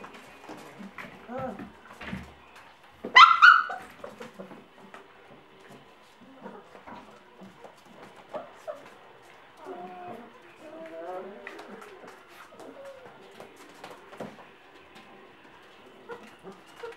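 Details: Five-week-old Gordon Setter puppies frolicking together: scattered soft whimpers and short yips, one loud sharp yelp early on, then a run of rising whiny squeals, with faint human voices now and then.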